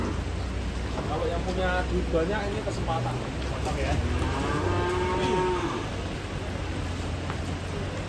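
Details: Cattle jumping down from a truck while being unloaded in the rain; a cow gives drawn-out harmonic moos, a shorter one early and a longer wavering one midway, over steady rain hiss and low engine rumble.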